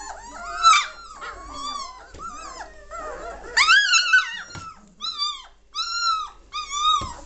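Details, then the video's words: Litter of German Shorthaired Pointer pups aged three weeks and one day, growing lively and noisy: drawn-out rising and falling whines and squeals from several puppies, in loud bursts separated by short pauses. "German Shorthaired Pointer Puppies aged 3 weeks 1 day"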